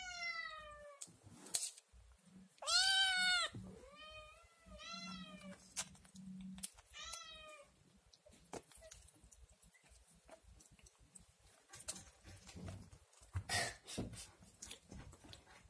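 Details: Scottish Fold kitten indoors, nursing but demanding food after seeing yogurt. A burst of several loud, arched meows fills the first seconds, then soft rustling and clicking handling noises take over.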